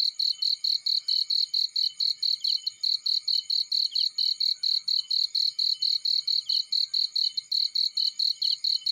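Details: Chirping of a cricket in a field near a fireplace: a continuous run of sharp, high-pitched pulses at a brisk, even pace, about four per second, with very little else heard.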